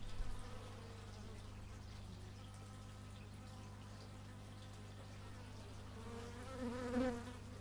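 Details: Bees buzzing in the open, recorded in stereo through an x/y microphone. Steady wavering drones build to a loud close fly-by near the end, set against a continuous low hum from a neighbour's machine.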